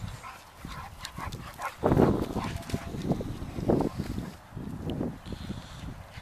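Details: Two young pet dogs, a Staffordshire bull terrier of 7-8 months and an 11-month-old American bulldog, playing together. They give rough, rumbling growl bursts, loudest around the second and fourth seconds, with scuffling noises between.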